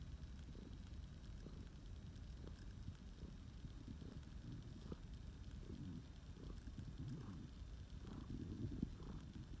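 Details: Low continuous purring from Nixxy, a flame point Siamese tomcat rescued three years earlier, while snuggling; the deep rumble carries faint regular breath pulses under quiet room noise.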